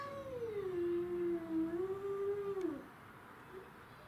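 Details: Domestic shorthair cat in a territorial fight with other cats, including a grey and white neighbourhood stray; one long moaning yowl wavers low and steady for almost three seconds before breaking off, followed by quiet.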